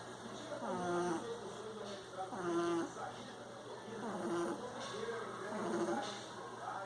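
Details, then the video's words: Frederico, a pet Bulldog, snoring while asleep; slow nasal snores with a rising-and-falling whistling tone, about one breath every two seconds, in a quiet room. "Frederico, Bulldog roncando..."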